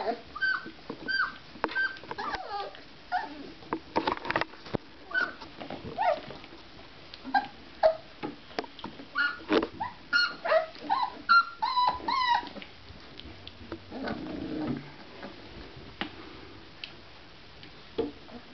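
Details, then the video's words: Basset Artésien Normand puppies, 24 days old, playing indoors: a steady run of high, thin whimpers, squeals and short yelps, some rising and falling, closely repeated through the first twelve seconds, then softer rustling and faint low sounds. "Basset Artesien Normand Puppies 24 days old Playing"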